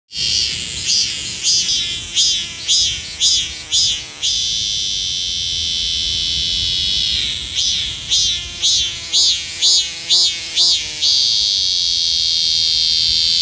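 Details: Maemi, a cicada in the Sejong University garden, South Korea, calls loudly to attract females: a harsh, steady high-pitched drone overlaid with rapid pulsing rising-falling sweeps about twice per second, with a pause in the pulsing midway.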